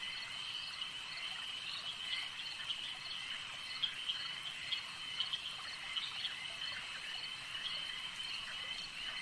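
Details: Chorus of frogs at a lake: continuous high, buzzy ringing made of many overlapping callers, broken by short louder chirps every second or so against a soft natural background.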